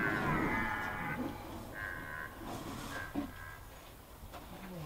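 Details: A red deer stag gives deep, groaning rutting roars, audible from far off, while driving off a rival stag without a fight, as the rut gets going at Hoge Veluwe, Netherlands, on 22 September 2021.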